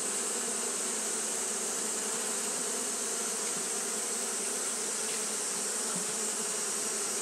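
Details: Japanese honey bees fanning throughout a hot day make an unbroken, layered buzzing drone, low and even, topped by a persistent high-pitched hiss.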